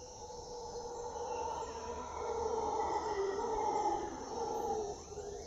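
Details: Howler monkeys in the jungle at Puerto Viejo, Costa Rica: a low, droning roar with steady bands that swells in the middle and fades near the end, over a constant hiss of jungle insects.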